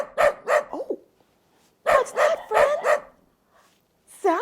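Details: Dog barks played for children to guess during a farm-animal lesson: quick runs of three to four harsh barks separated by a pause, with a woman's voice starting at the very end.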